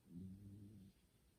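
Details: Pet cat Kumatan deeply asleep indoors beside a person playing games; a single low, harmonic snore lasting under a second, then quiet.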